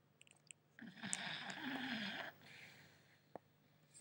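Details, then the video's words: Snoring English Staffordshire Bull Terrier puppy, five months old, fast asleep: one long, loud, wheezy inhaled snore lasting over a second with a low rattling tone, then a softer exhale and a single click. "puppy snoring"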